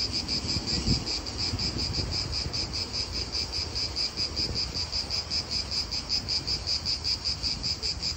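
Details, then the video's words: Cicadas in an Italian park produce a rapidly pulsing high buzz, beats coming in quick regular waves, over a background of wind and low noise. "italian park ASMR Cicadas wind real atmosphere in an Italian park birds"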